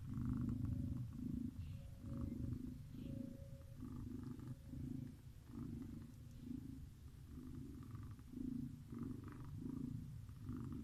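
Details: Snoring from a sleeping cat, a low throaty rumble rising and falling in even breaths about once a second, with faint higher wheezy tones on some breaths; the background is quiet.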